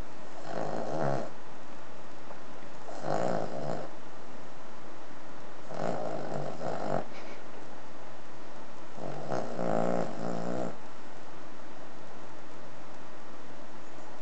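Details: Cavalier King Charles Spaniel, three and a half years old, snoring while asleep: four long, rough, low rumbling snores of about a second each, repeating roughly every three seconds, over steady background hiss.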